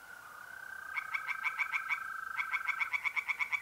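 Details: Two quick bursts of rhythmic, rasping croaks from tree frogs singing in a pond by night in April, north-east Italy, set against the steady trill of mole crickets.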